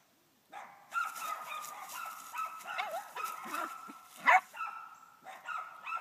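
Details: At 11 weeks old, a female puppy trees a dead squirrel hung overhead; a long, steady, drawn-out bawl with slight wavering runs for several seconds, broken once by a single sharp bark.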